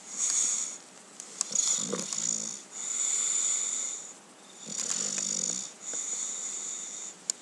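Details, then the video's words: Cookie, an English Bulldog, snores in her sleep: raspy, hissing breaths about every one and a half seconds, some with a low fluttering rattle at the end, recorded indoors. "Cookie the English Bulldog Enjoying a Nice Sleep (and Snore)"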